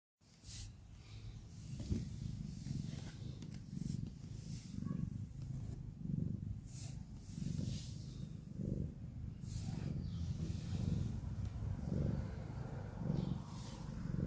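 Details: A cat snoring: a soft, low rumble with breaths swelling and fading at an irregular pace, roughly fifty times a minute, plus a few faint clicks and light background hiss.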